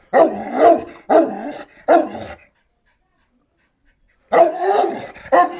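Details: Šarplaninac barking: three deep, drawn-out barks about a second apart, a pause of nearly two seconds, then two more barks.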